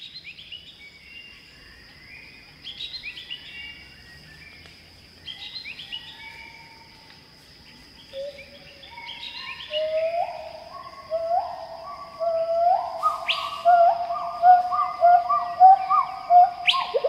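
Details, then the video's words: Pileated gibbons sing in Khao Yai National Park, Thailand. After about eight seconds, a stepped series of rising low-high notes builds and grows louder, with bubbly repeated notes near the end. Chirping birds call higher above, over a steady insect whine. "Pileated Gibbon singing - The sounds of gibbons calling in Khao Yai, Thailand"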